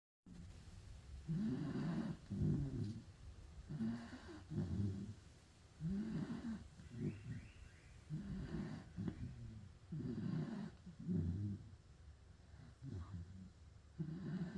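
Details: A pit bull dog snoring, each breath a rough, low rumbling drone lasting under a second, repeating steadily about every 1.3 seconds with short quiet gaps between.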